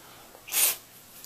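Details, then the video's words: A domestic cat sneezes once: a short, sharp, breathy burst of hissing noise lasting about a quarter second, bright and high-pitched, in a quiet indoor room. "Sneezing Cats"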